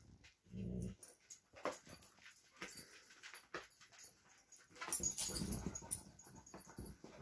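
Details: A Vizsla and a Doberman tussling over a new toy at playtime: a brief deep growl near the start, then scuffling and breathing, and a second rumbling growl mixed with rough play noise toward the end.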